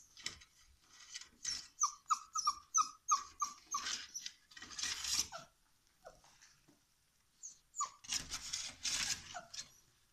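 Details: Black female Labrador Retriever puppy gives high, squeaky whimpering yelps in a quick irregular series, about three a second, each bending downward, followed by noisy rustling bursts and a few more squeaks.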